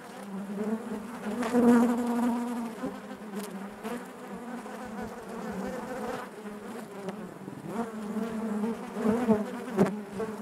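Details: Honey bees buzzing inside their hive: a dense, continuous low hum with a steady drone and stacked overtones, swelling and fading, with sharp close passes of individual bees near the two-second mark and again toward the end.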